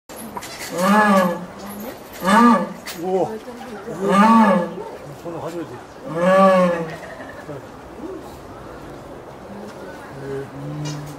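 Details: Jaguar in Tennoji Zoo, Japan, on an October evening, calling toward the neighbouring enclosure where another jaguar is; four drawn-out, harmonic moaning calls come about every two seconds, then faint quieter calls amid low background noise.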